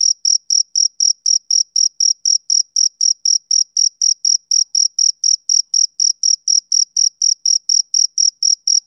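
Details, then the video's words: A male cricket chirps through a summer evening, sharp shrill pulses evenly spaced at roughly four per second, unbroken and alone against silence. "Cricket Chirping"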